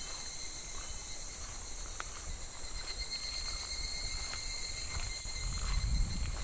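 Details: Cicadas at a clear, shallow, slow-moving stream in midsummer, filmed in July: an even, high buzzing drone with scattered faint clicks and a low water rush growing louder near the end.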